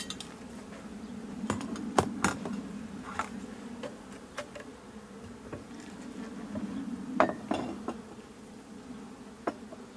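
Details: Honey bees of a drone-laying hive, frames packed with honey, give a continuous low droning hum while sharp knocks and clinks of frames being handled ring out irregularly over ten seconds.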